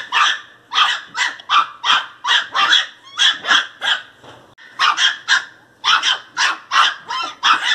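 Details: Pinscher puppy barking angrily in a long steady run of shrill yaps, roughly two each second, broken by one short pause before the barking resumes just as loud.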